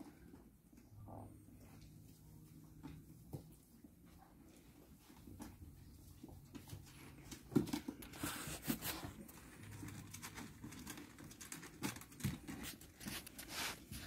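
Laika puppies give low, rumbling growls in short bursts, with soft scuffling and pattering around them.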